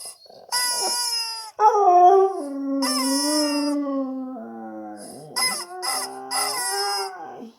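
A husky answers shrill squeaks with drawn-out, wavering howls that slide up and down in pitch.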